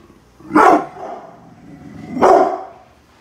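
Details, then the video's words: Guarding the house from outside construction workers, the brindle Pit Bull Bullet gives two deep, loud barks nearly two seconds apart, with a throaty growl carrying between them. "brindle pitbull protection dogg !!! scary growling and barking"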